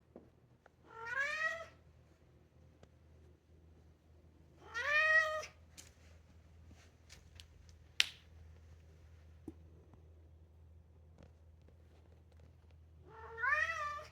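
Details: Two-year-old European polydactyl Maine Coon cat indoors, described as singing and meowing: three drawn-out harmonic meows, rising then falling, spaced several seconds apart, with a low steady hum and small clicks between calls.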